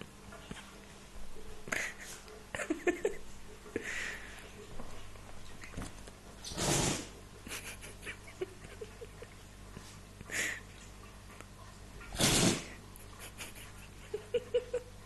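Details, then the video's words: Pet dog named Amy sneezing indoors: two sharp, broadband bursts about five seconds apart, with faint clicks and soft rustling in a quiet room. "My dog Amy sneezing"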